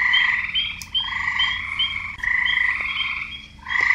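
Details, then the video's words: Croaking frogs, males calling for females; long grating pulsed calls run together with a brief lull near the end before another croak starts. "Frogs croaking"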